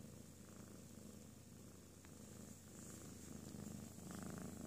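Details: Ms. Miya, a pet cat, purrs contentedly during a peaceful nap following a playful tantrum; continuous low vibrating rumble, growing slightly louder toward the end, indoors with a quiet background hum.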